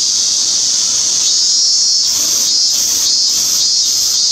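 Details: A cicada, thought to be the minmin cicada Hyalessa maculaticollis, in Japan on 17 August 2016 gives a loud, shrill, steady drone that swells into regular pulses about twice a second.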